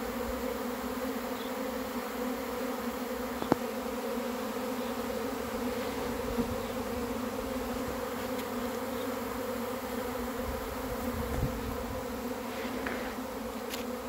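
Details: Honey bees arriving as a swarm, their massed wingbeats forming a constant low drone that never breaks, with scattered faint clicks and soft thumps over the continuous hum.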